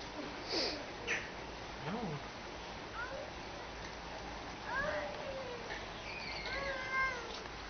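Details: Seal pups at Lenie 't Hart's seal creche, being fed patiently and with care, give several wavering, harmonic, meow-like cries of rising and falling pitch, scattered over the recording among low background rumble and a few voices.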